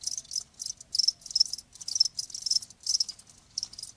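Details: Cricket chirps meant to soothe tinnitus, high shrill trilled bursts of under half a second recurring about twice each second, with clear pauses between them and a quiet backdrop.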